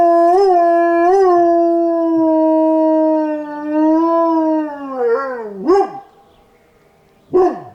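A Chihuahua howls in a long, thin, tonal note with a slight waver, holding steady before sliding down. The howl then breaks into a couple of sharp, rising-and-falling yips.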